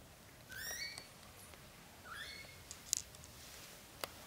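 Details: Newborn British Shorthair kittens, black golden, indoors, as their mother Samel carries them into a small nest: two thin, high, slightly falling mews about a second apart, then faint clicks and a quiet room.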